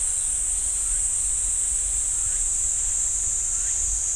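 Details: Cicada chorus in a pine forest at Ssanggyesa temple, Jirisan National Park, a continuous shrill buzzing drone, unbroken throughout, with a few faint short chirps underneath.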